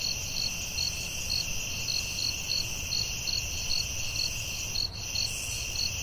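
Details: Crickets at night in the forest give a run of quick, even high chirps, around fourteen, set against a constant ringing insect hum and a muffled low rumble.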